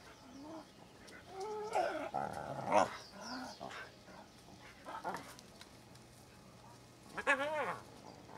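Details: Cubs at a hyena den, heard from very near, give short arching whines that rise and fall, in scattered bursts with one louder squeal near the end; quiet background hiss between calls.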